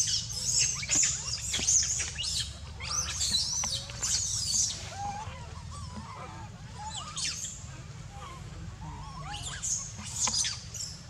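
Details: Baby monkey Dito crying and screaming for milk while biting Anya: bursts of shrill, piercing squeals high in pitch, in clusters during the first five seconds, around seven seconds and near the end, with softer wavering calls between, over a low steady hum.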